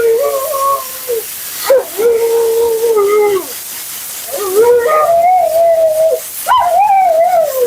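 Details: Dramatic, vocal Husky Mila 'talks' through her grooming session: a series of sustained, slightly wavering whining howls with sudden pitch jumps at onsets, four phrases separated by brief pauses, against loud hissing of dryer or water.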